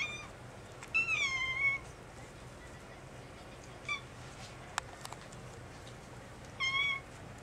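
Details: Kittens mewing while begging for milk, their mother nearby calling them to her: a few high, rising-then-falling mews spaced several seconds apart, with soft clicks and light room noise between.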